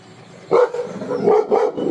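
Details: Labrador Retriever barking at someone outside: a loud sharp bark followed by a run of quick gruff barks and yips, with a person's voice urging the dog on nearby.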